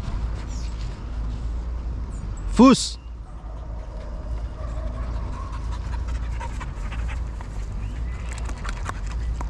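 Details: Belgian Malinois during basic obedience training with a ball retrieve; a single short, sharp bark partway through, surrounded by a man's voice giving commands and quiet background noise.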